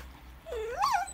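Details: Female Border Collie at medicine time, told to speak indoors, answers with one short whining yelp that slides down, then sweeps up sharply and falls away, lasting about half a second.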